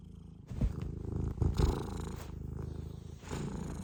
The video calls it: 猫のゴロゴロ音お楽しみください♫-Cat rumbling sound-【スコティッシュフォールド】